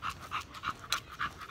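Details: American Bully dog panting while exercising at the gym: quick, breathy, rhythmic huffs, roughly three per second, each a short airy burst, with a steady even pace throughout.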